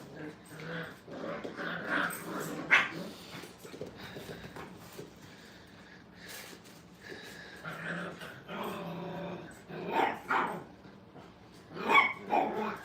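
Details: Five-week-old puppies playing together in a kennel, biting at the wire: rough growls and short yelping bursts come in uneven clusters, louder toward the end, with people talking nearby.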